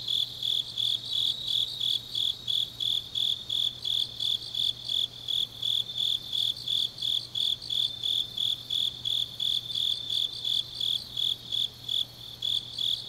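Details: Autumn-night grass insect chorus from Changnyeong, Gyeongnam, Korea, recorded deep in the night: bright high-pitched chirps repeated quickly and evenly, nearly three per second, over a softer ringing background trill and a faint low drone.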